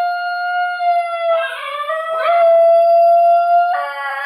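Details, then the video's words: Basenji yodelling indoors along with a recording of another basenji; sustained tonal howl with rich harmonics, holding steady then breaking into a warbling, wavering section before steadying again, with a second overlapping voice at the end. "A Basenji Singalong"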